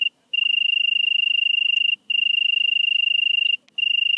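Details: European tree cricket singing in Venezia, Italy, early September 2021: a pure whistled trill in phrases of about one and a half seconds, broken by short pauses, with faint clicks in the background.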